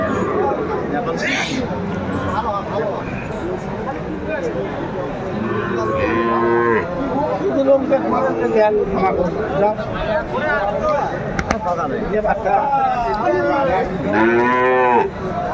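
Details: Sahiwal bulls at Aftabganj cattle market in Dinajpur, Bangladesh, on 28 January 2025, being bargained over by buyers. Several deep, drawn-out harmonic moos rise and fall, with crowd chatter, bargaining voices and background music throughout.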